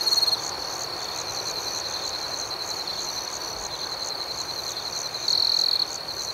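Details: Nighttime cricket chorus: an unbroken high-pitched ringing carries throughout, with a softer rhythmic pulsing layer above. A louder nearby trill opens the clip and returns for about half a second near the end.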